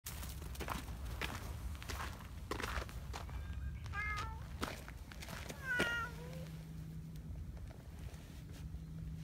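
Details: Black community cat named Donchan, a big boss cat, living outdoors and affectionately pulling in a petting hand; two short harmonic meows near the middle over steady low hum, rustling and footsteps.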